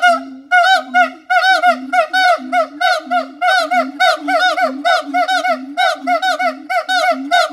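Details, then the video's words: Siamang calling in a long run of loud, rapid, harmonic barking notes, each a short bent hoot repeated roughly once a second, steady and insistent with no other sounds. "suara monyet siamang / gibbon monkey sound"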